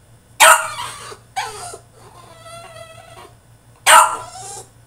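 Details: Tantrum of a French Bulldog shut in his cage: a loud yelping bark, a whine, a thin steady whimper, then another loud bark, all against a faint background hum.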